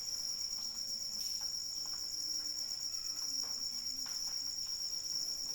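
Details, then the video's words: Continuous high-pitched cricket chorus in rainfall: a tight, pulsing trill that never pauses, layered over faint drips and gentle rain patter. "Suara Hujan dan Jangkrik Pengantar Tidur"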